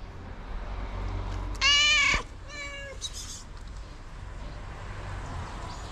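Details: Loud tabby cat calling other cats to come and eat: one strong, harsh meow followed by a shorter, softer second meow, both with clear stacked overtones, then steady low background noise.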